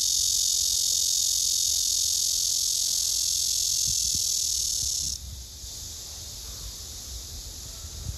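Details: Nervous black cicada that urinates three times within two minutes produces a sustained, intense, hissing buzz lasting about five seconds before cutting off sharply; a softer buzzing drone carries on afterwards.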